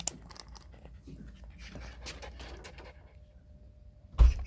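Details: Puppy at play, rapid soft breathy puffs over the first three seconds, then a quiet pause and a sudden loud thump indoors.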